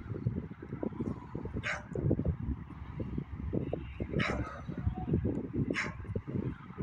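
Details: Evening barking from a beagle: three separate sharp barks spaced about two seconds apart, somewhat distant, set against a constant deep rumbling background noise.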